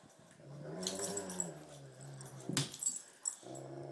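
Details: Great Pyrenees and Tibetan Mastiff playing tug of war, low rumbling growls with harmonic bands sliding and wavering, brief pause then growling resumes, with sharp clattering thumps around the middle.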